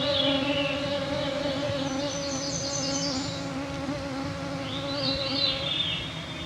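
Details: Clouds of mosquitoes make a steady, droning, layered whine with a slight waver at 9pm on a June 2024 summer evening in northwestern Ontario's Canadian Shield, while a bird adds brief high trills twice in the background.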